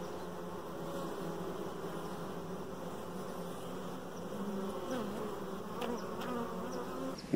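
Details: Steady low hum of honey bees in the hive with a dark queen present, a continuous buzzing drone with faint shuffling and a knock at the end.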